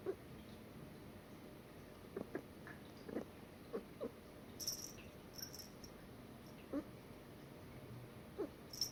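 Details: A domestic cat chirps at a black bird with soft, clipped chirps, about a dozen short mid-pitched bursts at irregular intervals, with a few faint high notes and a quiet background.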